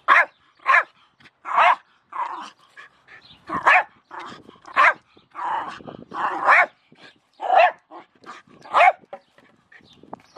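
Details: Barking Jack Russell Terrier, Milo, facing a shovel: a dense series of sharp barks mixed with quieter yips and rougher sounds.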